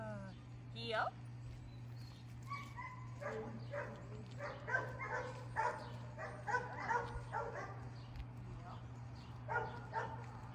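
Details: Dakota, a female Great Dane, training outdoors and corrected with an e-collar when she leaves a command; a run of short, sharp barks repeated over about eight seconds, with a person calling her name and the command heel.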